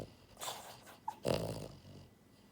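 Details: Asleep, the pied French Bulldog girl Buhiko, born January 2022, lets out a breathy exhale and then a short, throaty snorting snore that trails off into quiet breathing.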